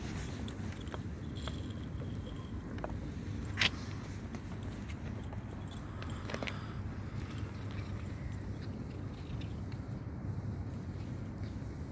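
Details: Steady low background hum with scattered clicks and clinks, including one sharp tap near four seconds, and no animal voice heard.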